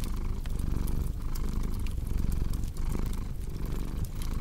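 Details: Domestic cat purring steadily beside a crackling fireplace, a relaxing sleep track: deep, low rumbling throb, breaking briefly about every second as breath direction changes, with sharp fire crackles and pops scattered over the top.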